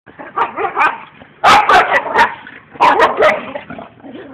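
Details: Two dogs play fighting outdoors, boxing with each other though they sound aggressive; rough growls and snarls with sharp bursts of barking in two clusters, low rumbling between outbursts.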